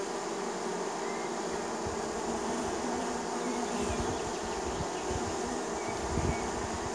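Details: Many honey bees from a neighbor's hive droning in spring as they come in to land, a continuous low buzzing hum with some rumbling low-end texture underneath and brief faint higher tones.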